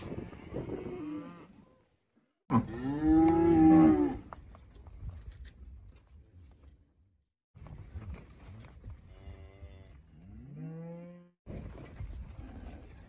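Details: Cow moos several times: a loud, full-throated bellow, then softer, shorter moos that rise in pitch at their ends, with brief quiet gaps between calls.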